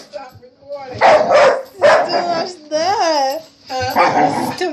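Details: Household dog reacting to a running vacuum cleaner with loud, rough barks, plus a wavering whine-like tonal stretch between them and human speech in the room.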